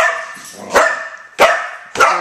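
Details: A 4-year-old female Border Collie barks at flickers of light and shadows ("tinks") made by opening a refrigerator door, giving three sharp, explosive barks at a steady rhythm, roughly two every second.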